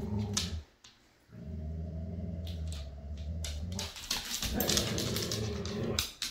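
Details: Jude, an adoptable Siberian Husky, with his foster dog siblings: a short grumble, a brief pause, then a long steady low growl of nearly three seconds, with bright clicking and scuffing noises over the end.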